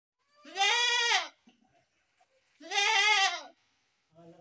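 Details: Goat bleating, possibly a baby goat: two loud wavering harmonic bleats about two seconds apart, each close to a second long, with a brief softer call starting at the end.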